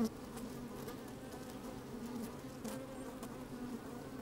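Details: Honey bees at work within an opened hive on a sunny day, microphone placed inside; low steady hum with a soft buzzy overtone and light scraping clicks from moving bees.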